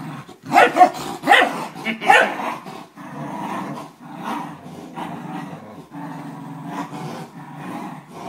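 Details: A 12-year-old corgi playing tug of war with a 4-month-old German shepherd gives a few sharp, yappy outbursts, then settles into a low, pulsing, rumbling growl.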